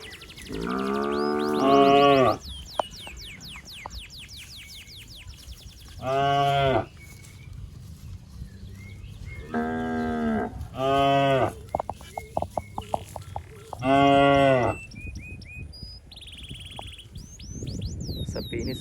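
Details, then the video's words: Looking for its mother, a fat cow in a waterlogged rice field gives a long opening moo, then four shorter bellows at uneven gaps, backed by steady high chirps and soft outdoor noise. "Suara Sapi Sedang Mencari Induknya"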